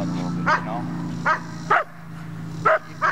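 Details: Puppy Ellie during bitework training barks in short, sharp bursts, about five across three seconds, irregularly spaced, while a man talks encouragingly close by.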